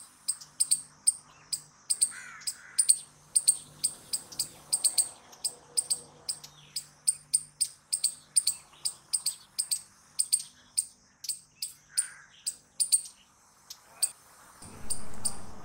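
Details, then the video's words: Rapid series of sharp, high squirrel chips, around four a second, steady for most of the stretch, with a brief gap and a loud low rumble of handling noise at the end. "Squirrel Noises Loud"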